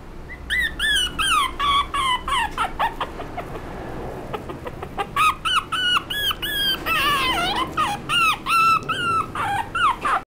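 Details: A small Chihuahua–Shih Tzu mix dog, with a Chihuahua father and a Shih Tzu mother, barks in rapid, high-pitched yaps.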